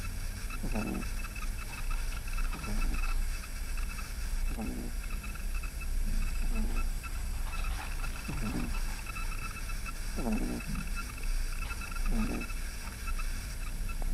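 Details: Eleven-week-old pug puppy named Yoda asleep and snoring, with low rasping breaths recurring roughly every one and a half to two seconds under a constant faint hum.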